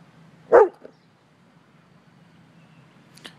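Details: A dog barking at a man: one loud, sharp bark, then a faint short second sound and quiet background.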